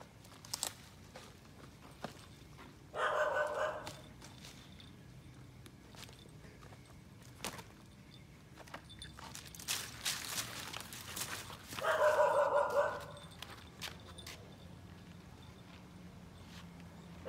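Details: Alaskan Malamute named Toby, exploring around the house and walking past the gate for the first time, gives two short, loud barks several seconds apart amid footsteps and faint rustling.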